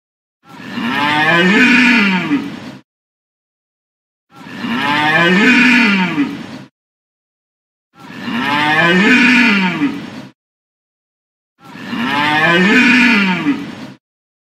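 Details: Four identical drawn-out deer bellows, each about two seconds long, hoarse and harmonic with a rise and fall in pitch, evenly spaced with near-silent gaps of roughly one and a half seconds between them.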